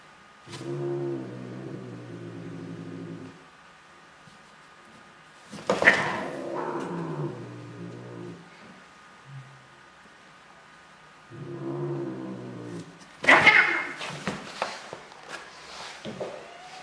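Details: Angry cat growling in low, rumbling stretches of about three seconds, twice, each followed by scuffling, bumping noises and a faint steady hum indoors.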